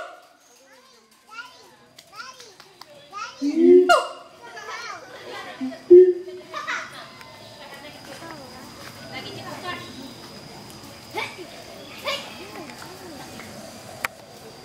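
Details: A pair of adult siamang gibbons duets at the Schmutzer Primate Center, advertising territory: scattered rising whoops build to two loud, booming barks about two seconds apart, then fainter calls, over steady background chatter and children's voices.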